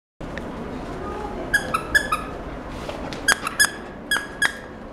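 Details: A male Welsh Corgi puppy at a pet shop, sable and white and born 1 July 2016, gives short, high, squeaky whines and yelps, often in quick pairs.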